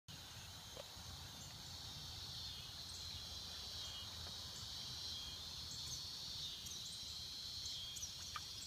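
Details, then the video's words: Cicadas singing in swamps, a steady dense high-pitched buzzing drone held throughout with little change, a few faint higher chirps on top and a low rumble of background noise. "Tranquility and the sounds of cicada in the swamps"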